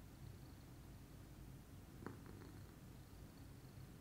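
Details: Pudding, a lilac Scottish Fold, purring calmly in the morning: an even low rumble with a short soft click cluster midway.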